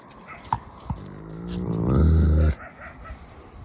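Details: Wolf at the Park of Northern Wolves in Saint Petersburg, Russia: a low, steady harmonic moan or growl lasting about a second, rising in loudness before cutting off abruptly, preceded by two short knocks, with faint background noise.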